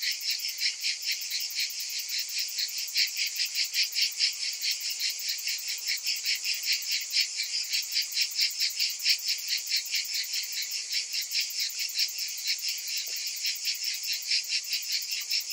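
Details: Cicadas calling in summer, a dense high buzzing chorus that pulses steadily about two to three times per second, with no other sounds standing out.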